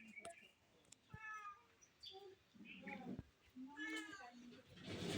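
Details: Domestic cat meowing while someone tries to catch it: several short harmonic meows, spaced about a second apart, mixed with people talking and handling noises.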